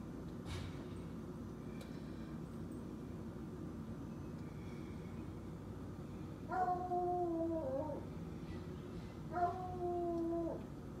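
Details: A pet Treeing Walker Coonhound, pretending to be a hunting dog, works his belly up and gives two long, level, harmonic howls, each about a second and a half.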